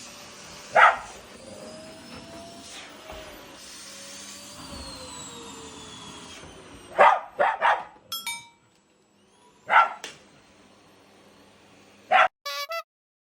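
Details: Pet dogs, a Shiba Inu and a Labrador, bark during the daily vacuuming at home. Single loud barks alternate with a rapid cluster of three or four over a steady machine hum, with short edited sound effects between them.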